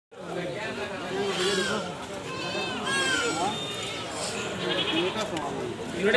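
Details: Goat screaming loudly: several wavering, tremulous bleats with shaky rising and falling tones, overlapping one another over about six seconds against a steady background murmur.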